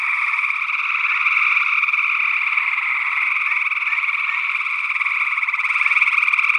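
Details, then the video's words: Gray tree frogs calling in Northwest Wisconsin in early June 2022, recorded with a stereo ORTF pair of small condenser microphones: a dense, steady chorus of rapid pulsed trills overlapping without a break for the whole stretch. "Gray Tree Frog Calls"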